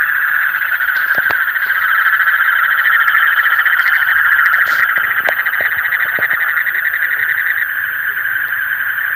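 A dense night chorus of frogs, a steady rasping trill that never pauses.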